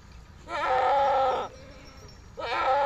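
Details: ['Farm goat in Pakistan, herded with sheep, gives two loud, quavering bleats: the first a full second long and steady, the second starting after a short pause and cut off at the end, both nasal and strongly harmonic against quiet surroundings.']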